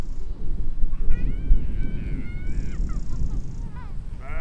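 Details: Sheep and lambs grazing in a field in spring 2020, giving several wavering, quavering bleats in quick succession, overlapping at mid pitch, over a steady low rumble of wind and ground noise.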